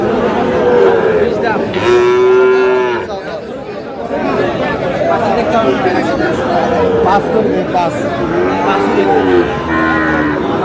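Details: Market on 23 June with a Sahiwal bull calf: three or four separate moos, a clear steady one early and weaker, wavering ones later, mixed with busy crowd talk and haggling voices.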